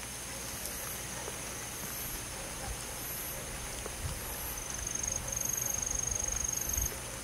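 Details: Crickets on a summer night in a forest. A steady high insect chorus runs throughout, and from midway a sharper, very high pulsed trill joins, repeating about four times a second.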